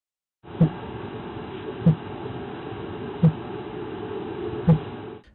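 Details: Fin whale pulses recorded in the waters off New York City, where fin whales occur year-round, sped up about eight times, sounding like a low drumbeat repeated about every second and a half.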